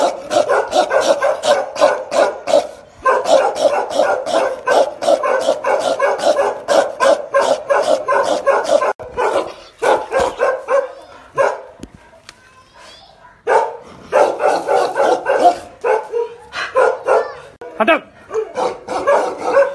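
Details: Aggressive barking from a pair of Bakarwal protection dogs: dense runs of fast, rough barks, a pause around ten to thirteen seconds with scattered sounds, then more bursts of barking.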